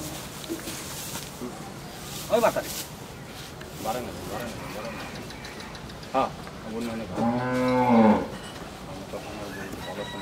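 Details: A bull offered for sale at a dairy farm in Bhangura, Pabna, Bangladesh, gives one long, deep, harmonic moo near the end, after scattered faint shuffling and brief background sounds.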